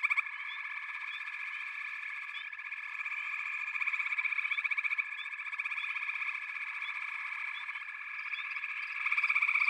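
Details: Steady backwater frog chorus with pig frogs and water frogs, rapid pulsed trills running throughout, loudness rising and falling gently, short rising chirps sprinkled above the main drone.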